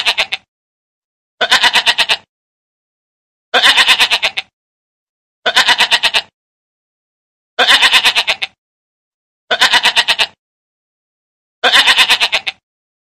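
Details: Goat mother nursing her kid: seven wavering, trembling bleats, each under a second long, come roughly every two seconds, with dead silence between them.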